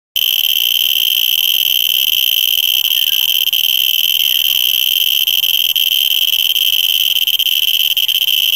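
A cicada gives a steady, high, ringing whine that holds one pitch without a break.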